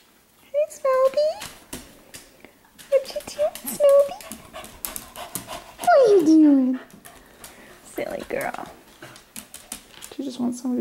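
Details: Indoor night-time play among household dogs, a female left wanting a playmate; short tonal whimpers repeat, then a long drawn whine slides steeply downward, with footfalls, clicks and human speech around it.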